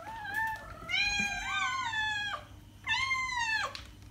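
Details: Cat meows meant to draw the attention of other cats: a long wavering meow rising and falling over two seconds, followed after a pause by a shorter bright meow that drops at its close.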